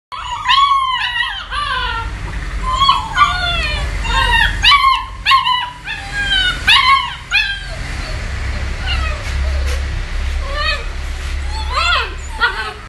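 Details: Several German Shepherd puppies whining and yelping: a chorus of high, thin, rising-then-falling whimpers overlapping in bursts, with a low rumbling background noise.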